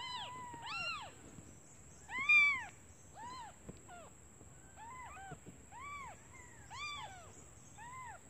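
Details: Hungry newborn kittens calling their mother, who has left to find food; high arched mews and a few longer drawn-out cries, spaced irregularly, one louder squeal near two seconds, over quiet background.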